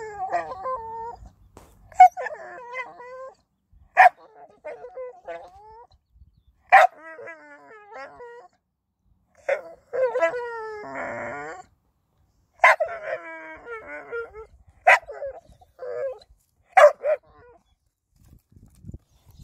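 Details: Blue, a happy Staffordshire Bull Terrier 'talking': a series of expressive whining, moaning vocal phrases with wavering, rising and falling pitch, in bursts separated by short pauses over about twenty seconds, with a few sharp clicks between.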